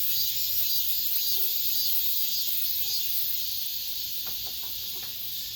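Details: Late-summer cicadas in an apartment complex make a steady, shrill, sizzling drone with quick pulsing. A few faint tones and brief ticking sounds rise behind the insects near the end.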